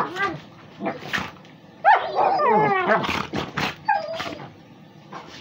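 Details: Pitbull and a Beagle–Basset Hound mix playing together; squealing whines, rising yelps and short barks in quick irregular bursts, with some voice-like sounds mixed in.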